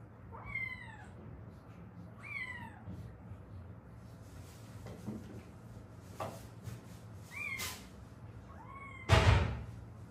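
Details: Stray cats, a mother and daughter from Haeundae rescued after seven years living with traffic-accident fractures healed unset: four drawn-out meows rising then falling, spaced a few seconds apart, over low steady hum, ending with a sharp loud knock.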